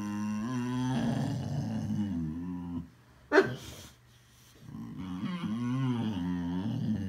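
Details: Boxer dog indoors making funny vocal sounds: long moaning growls with wavering, rising and falling pitch, a brief sharp click mid-clip, then a pause before another drawn-out, warbling grumble.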